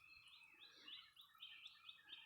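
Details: Thousands of Brood X periodical cicadas, Indiana, 2021, sing in distant trees, making a steady, high, shimmering drone that swells and fades in waves.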